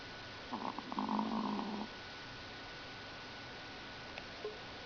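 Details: Chihuahua named Lucky snoring indoors: one soft, rasping snore lasting just over a second, with steady low hum throughout and quiet otherwise.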